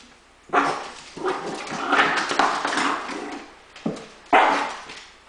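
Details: Female pet dog objecting to her owner taking a shower, making a long, rough, growling bark that runs on for seconds, followed by two sharper barks at the end.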